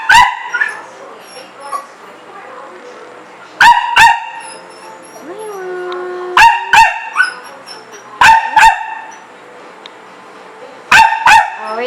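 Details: Dogs at home eager to play outside although it is raining; loud barks come in quick pairs several seconds apart, with a soft whine and a faint tone between bursts.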